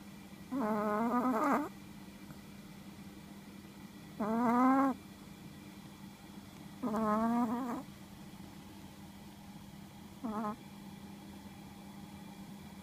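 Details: Sleeping Chihuahua snoring: nasal, whistle-like tonal snores with a slight upward pitch bend, each under a second, coming every three seconds or so. The last one is short and faint. Quiet background.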